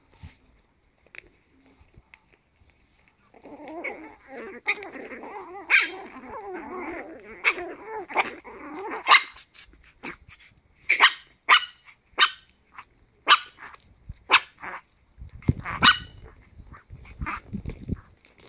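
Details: Chihuahua puppies, ten weeks old, at play. A long, wavering play growl runs for several seconds, then gives way to a run of sharp, high barks about once a second, with rustling and scuffling near the end.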